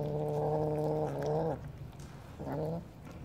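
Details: Kitten under a car calling out that it is there: a loud, sustained meow of about one and a half seconds, slightly bending at the end, followed by a shorter, rising meow after a brief pause.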